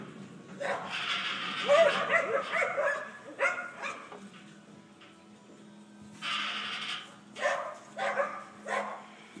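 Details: A dog barking in short bursts: a run of barks early on, a lone bark near the middle, then a quick cluster of three barks near the end. A steady low hum continues underneath throughout.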